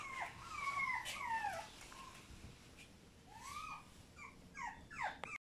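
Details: Whimpering French Bulldog puppies, born April 6, make repeated high, sliding whines that rise and fall in short bursts, several overlapping, with quiet gaps and soft rustling between calls.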